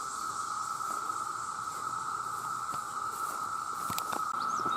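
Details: An unbroken droning whine from a huge chorus of male cicadas calling to attract mates, overlaid by a thin high hiss and scattered ticks toward the end.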